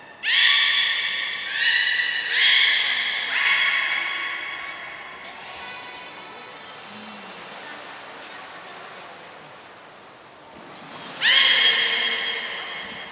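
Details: Captive beluga at Port of Nagoya Public Aquarium, morning health check, 19 May 2021, before the 11:00 training session: four quick harmonic squawking calls, a quiet stretch, a short high steady whistle, then another loud squeal.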